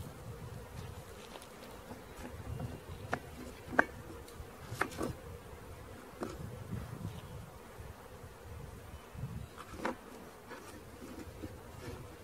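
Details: Swarming honey bees during capture give a continuous even drone, the massed buzz sitting low beneath frequent brief ticks and taps of handling equipment, with a louder knock around the four-second mark.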